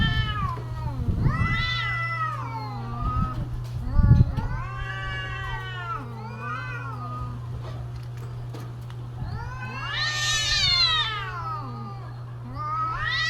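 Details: Cats yowling during mating season, a string of long howling wails that rise, waver and fall, some moaning low and one climbing very high and shrill, with a few thumps and a steady background hum.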